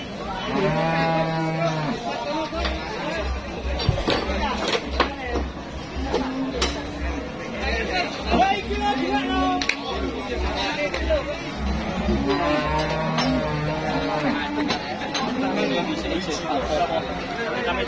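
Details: Cattle awaiting sale for Eid sacrifice at a crowded livestock market: repeated deep moos from several animals, mixed with people talking, clatter and a steady low rhythmic thumping.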